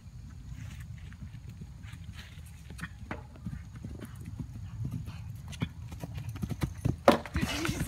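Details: Fourth ride over fences for a 2012 RPSI mare, dated 29 March 2016; rhythmic hoof thuds building in loudness, ending in a loud rushing burst, over low background rumble.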